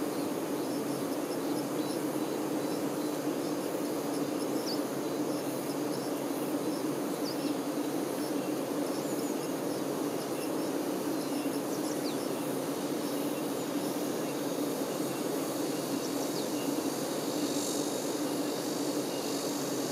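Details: Worker honey bees attending the queen bee produce a continuous low drone, a thick even buzz that never pauses or swells over twenty seconds, with faint higher hiss above it.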